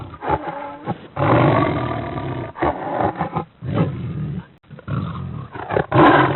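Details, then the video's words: A cheetah's harsh, low rumbling runs in long sustained phrases broken by short silences, ending in a louder, rougher burst. "Cheetah sound"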